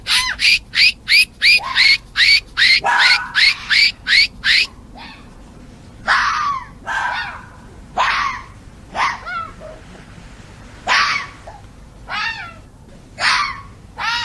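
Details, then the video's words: Foxes in mating season calling out to each other: a fast run of sharp, harsh barks, about three per second, then slower scattered rasping yelps and cries with pauses between them. "Fox calls and Barking | Fox Sounds | Fox Mating sounds"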